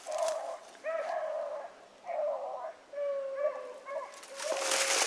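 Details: A young beagle on an evening rabbit hunt, 3 February 2018, bays while trailing a rabbit's scent, a string of drawn-out, ringing bawls.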